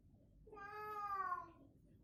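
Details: Pet cat in a crazy, playful mood voicing one drawn-out harmonic meow of about one second, rising slightly then sliding down at the end, over a quiet background hum.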